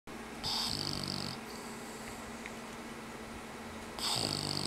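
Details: Dog napping after playtime, snoring: a low buzzing rattle on each breath with a thin whistling tone. The louder snores come near the start and again at about four seconds, with a softer steady hum between them.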